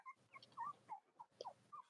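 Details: Cavalier King Charles Spaniel puppies from the litters of Robin and Myra, indoors on a chilly late-October morning with nursing mothers nearby, give a string of short, thin, high squeaks and whimpers, some rising, about eight in two seconds.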